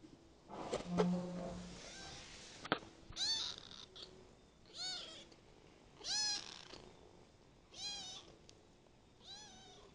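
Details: Adopted kitten, ten days into its new home, meowing repeatedly: five clear arched, harmonic-rich meows spaced roughly every one and a half seconds, preceded by rustling, a low hum and a sharp knock.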